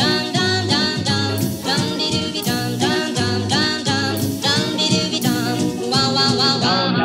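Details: Upbeat music with steady instrumental chords and possible singing fills the recording. No animal voice stands out.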